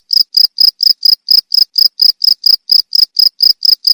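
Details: Cricket chirping, used as a training recording for songbirds: loud, high-pitched trilled chirps repeated steadily about every quarter second, each pulse a short buzzy burst, with no other sounds.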